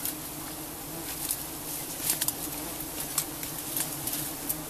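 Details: In Cambodia, during a honey harvest, giant honey bees give a steady, low droning buzz, with scattered crackles and taps over it.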